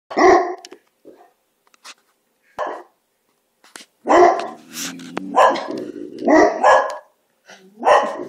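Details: Several dogs argue with one another for unknown reasons, trading loud, harsh barks in irregular bursts, some doubled, with low steady growling rumbling between them and short quiet gaps.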